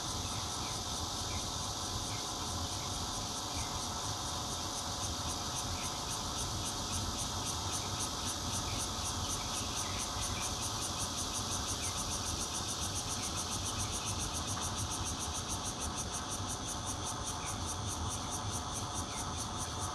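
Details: Bear cicada singing in Zhongli City, 16 June 2013, heard from a fourth-floor home with red-veined cicadas also calling, captured on a Nokia Lumia 820; dense continuous buzzing with rapid high pulses speeding up toward the end over steady low background hum.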